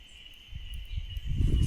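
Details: A cicada caught in a bird-banding mist net in the mountains on a good-weather summer day gives a steady, high, unbroken buzz throughout, beneath low rumbling and handling noise that grows louder toward the end.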